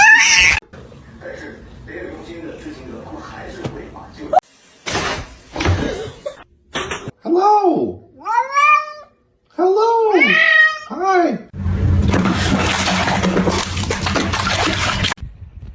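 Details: Kitten meowing indoors while people greet it: a run of short arched meows rising and falling in pitch, some in quick pairs, mixed with speech and ending in a burst of broadband rustling noise.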